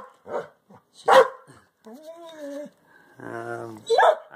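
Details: A Belgian Malinois growls low and rumbling on command while guarding a ball, as a second Malinois gives sharp, harsh barks, anticipating the command, with a person speaking nearby.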